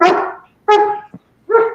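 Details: A protection-trained Belgian Malinois–German Shepherd mix at home in Nevada's high desert, about 5,000 ft, gives three loud, harsh half-second barks, apparently reacting to its owner talking with no one present.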